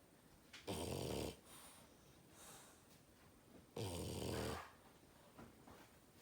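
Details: Loud snoring from a French bulldog in a small room, two rough, noisy snores roughly three seconds apart, each about half to one second long, with soft breathing between them.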